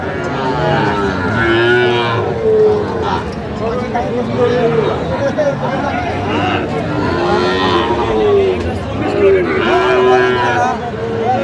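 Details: Sahiwal bull calves at a cattle market in Faridpur, Bangladesh, on 17 August, where a farmer is buying one: several drawn-out, tonal moos rise and fall over a constant hubbub of men talking and bargaining.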